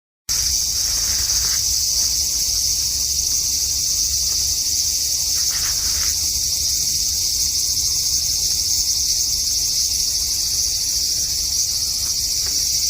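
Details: Cicada calling from a cherry tree in a front garden on a hot evening, 5 August 2012: a dense, steady, shrill buzz, loudest high up, continuing without a break after a short silent start, with faint low background rumble.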